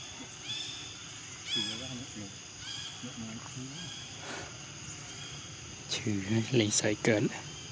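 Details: Baby monkey Floran, living wild around Angkor Wat, calling to its mother Flora to ask for milk: wavering, whimpering harmonic cries in short bursts, growing louder and denser near the end, over a steady high insect drone.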